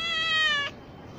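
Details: Single cat meow, a clear, steady, slightly falling tone held for about two-thirds of a second before cutting off, followed by quiet room noise.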